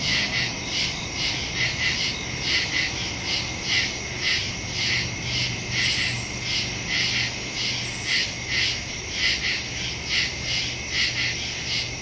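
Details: Woodland crickets calling at night on September 2, 2023, stereo phone recording: layered high trilling chirps throbbing in rapid overlapping pulses, a continuous shrill background drone, low hum underneath.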